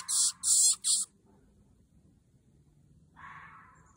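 A red fox gives three harsh, hoarse barks in quick succession, part of its mating calls.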